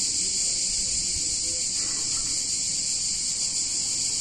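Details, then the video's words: A chorus of cicadas fills a warm summer day in an Italian town, a continuous shrill sizzling hiss that holds steady throughout with no pauses and faint low rumbles beneath. "Cicadas In Warm Summer Day In Italian Town"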